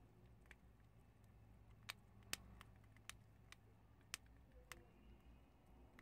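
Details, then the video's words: Several prairie dogs chew chickpeas. Crisp, isolated crunches and snaps sound every half second or so, with a few louder cracks, above a faint low room hum. "프레리독 병아리콩 씹는소리를 ㅋ 씹고뜯고 맛보고"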